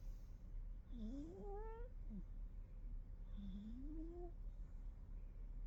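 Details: Sleeping kitty snoring: two drawn-out squeaky tones, each rising in pitch with faint overtones, about two and a half seconds apart, over a low steady rumble.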